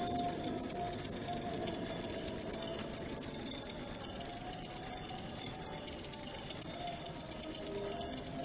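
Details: Cricket chirping, offered as a natural rat repellent and as relaxing sleep sound for insomnia; a high, steady string of rapid pulsed chirps runs throughout without pause, with a faint low hum beneath.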